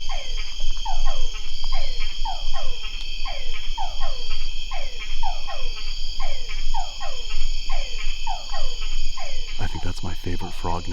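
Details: Star Wars frogs in Guatemala give quick falling 'pew' calls like a laser blaster, repeated rapidly in a mating chorus; a local bat species hunts the frogs by homing in on this call.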